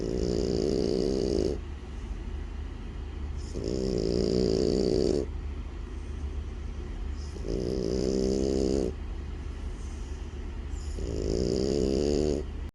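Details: Sleeping French Bulldog snoring in slow, rhythmic bursts roughly every three and a half seconds, each a low rasping rumble with a rough, raspy edge, separated by quieter breathing pauses.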